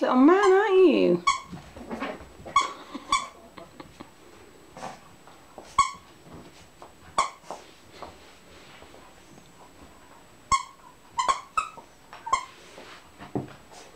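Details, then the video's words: Shih Tzu puppy, 11 weeks old, playing fiercely with a toy snake indoors; a high whiny wavering cry opens, then sharp squeaky toy-like yelps recur irregularly over quiet room noise. "Louis the Shih Tzu ragging his snake around! 11 weeks old and so fierce.!"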